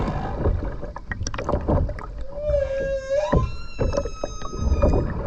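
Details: Humpback whale song recorded underwater while skin diving in the sea of the Ogasawara Islands, Tokyo, Japan, on 29 January 2022: a sustained tonal moan near mid pitch sliding upward, with harmonic whistles, amid bubbly, gurgling water noise.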